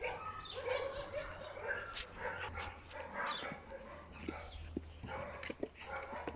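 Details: Eight-week-old puppies from the litter of Rutabaga and Marius, giving thin, tonal whimpers and brief yips that rise and fall in short bursts, with human talk and rustling handling noise around them.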